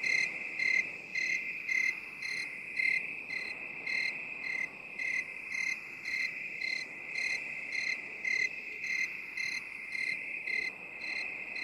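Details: Chirping cricket in binaural sound, with a sustained high-pitched ringing tone and pulsed chirps repeating at a quick steady rate, the loudness swelling and fading slightly.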